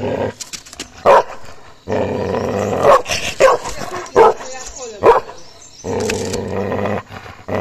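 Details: Gaddi dog puppy attacking another dog: sustained growling mixed with sharp barks and snarls in quick succession, with a human voice faintly present.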